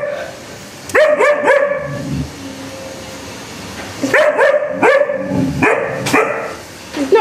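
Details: Alaskan Malamute puppy indoors, shouting at a vacuum cleaner: bursts of sharp, ringing yelping barks, two or three at a time, separated by pauses of a couple of seconds, with a faint low background hum.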